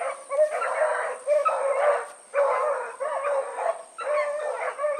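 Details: Evening run of the Blackreek pack, four dogs named Choco, Dino, Johnny Ringo and Mingo, August 2014; long drawn-out bawling bays from several dogs overlapping in drawn pulses of under a second, with a steady high electronic whine throughout.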